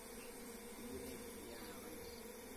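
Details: Wild forest honey bees disturbed while their hive is harvested by bare hands: a steady, low droning hum runs unbroken throughout, with a sharp knock at the very end.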